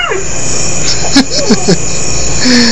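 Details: Lex, one of two pet dogs, tries to say "I love you", inspired by Mishka the talking husky: short moaning, howl-like glides that bend up and down in pitch, with a person repeating "I love you" around them.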